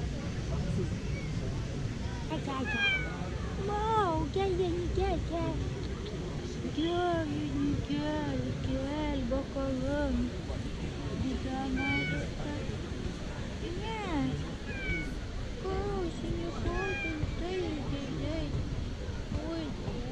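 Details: Female tabby cat in a park, constantly meowing for affection and petting: a long run of drawn-out meows, each rising then falling, some short and chirpy, coming every second or two over a heavy outdoor rumble.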